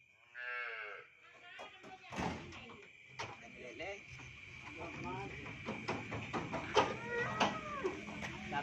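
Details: Madura cattle, a newly bought cow: a short, falling, nasal moo near the start, then a long stretch of clattering knocks and bangs, with music playing.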